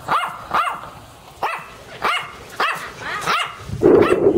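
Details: Dog barking in a steady series of sharp, harmonic barks, roughly one every half second, ending in a rougher, louder bark.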